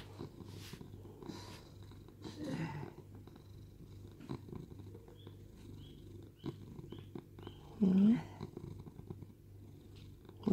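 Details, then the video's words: Sam, a rescued cat at home in Cooktown, Queensland, Australia, purring steadily in a continuous low rumble, with soft human speech and a brief rising meow-like sound near the end. "Cat Purrs"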